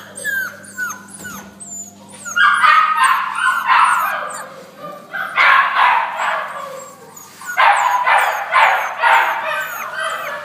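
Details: American Staffordshire Terrier giving loud, harsh barks in clusters of two or three, repeated through the recording, with high thin chirping squeaks running over the background.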